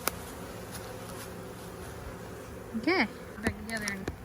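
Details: Honey bees buzzing at a hive during a first hive inspection in which frames are removed and the queen is searched for; a steady low droning hum fills the clip, broken near the end by a brief voice and sharp knocks.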